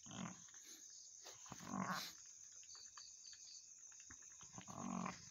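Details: Goat mother soon after giving birth to two kids, producing three drawn-out, nasal bleats near the start, middle and end, separated by quiet rustling.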